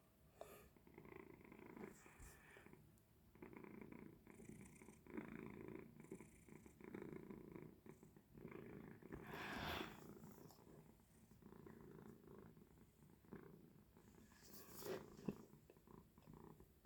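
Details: Domestic cat purring indoors beside a window it uses as a lookout for birds; a soft, steady low rumble runs throughout, with a few faint clicks and a woman speaking quietly.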